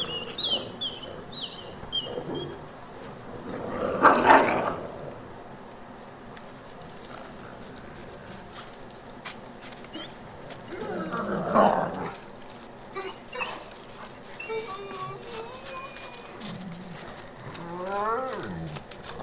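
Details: Wolves of the exhibit and retired packs at the International Wolf Center, 23 March 2018. Two loud, harsh bursts come near four and eleven seconds, then thin whines and quick rising yelps close the clip. A bird chirps in a short descending series at the start.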